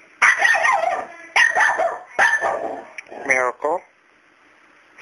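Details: A male dog keeps barking at a cat named Miracle, who is not scared of him. Three heavy, raspy barks come about a second apart, then a brief tonal whine-like sound, then quiet.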